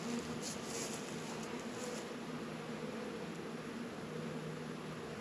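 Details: Honey bees working at an apiary hive in northern Kentucky on a warm 72-degree February day, producing a dense, steady droning hum with a low steady tone and broad hiss throughout, no other clear sounds.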